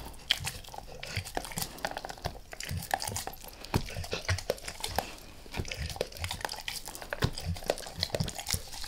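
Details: Max the dog gnawing a beef rib, close-miked for ASMR with no talking: dense, irregular crunches and sharp bites snap throughout, with softer wet chewing between them.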